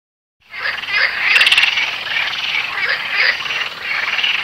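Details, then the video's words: A dense, loud, steady frog chorus of overlapping rapid croaks and trills by a weedy river in SW France, on the last day of a four-day summer heatwave. "Frog chorus"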